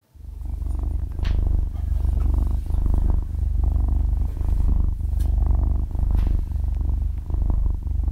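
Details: Half-year-old kitten purring while asleep, recorded very close with a stereo microphone: a dense, low, motor-like rumble that swells and dips with each breath, about every second, after a quiet start. No speech or music.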